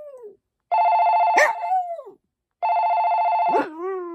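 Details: Maltese dog Poppy joins a ringing phone. Two steady electronic rings are each followed by a sliding, wavering howl that dips and trails downward.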